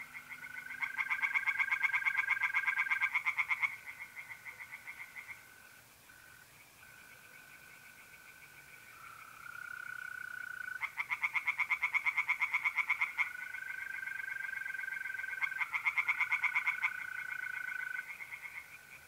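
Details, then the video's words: On a mid-April night at a pond in north-east Italy, tree frogs give long runs of rapid, rasping pulses in separate bouts. Between bouts a mole cricket's smooth, even trill continues. "relaxing singing tree frogs in pond and trilling mole crickets by night"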